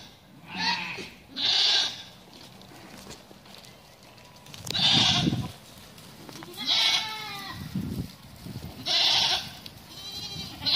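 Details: Bishi goats, a group of 19, giving a string of about five loud, tremulous, nasal bleats at irregular intervals of one to two seconds, with light background noise and a brief human murmur.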